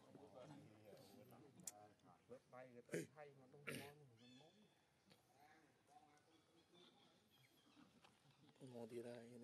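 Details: Young monkey Leo screaming as his mother Libby abuses him, then running to a big monkey amid biting; harsh, wavering screeches come in loud bursts, peaking around three to four seconds, with rougher noise between.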